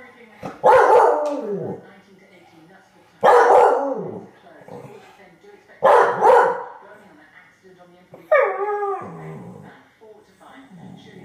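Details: A Staffordshire bull terrier that has spotted a grey squirrel in the garden gives loud, gruff barks spaced a couple of seconds apart.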